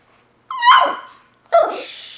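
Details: A newly adopted Chihuahua-Pekingese mix puppy indoors gives two short calls: a high whining yelp that slides upward and fades, then a second harsher yelp a second later.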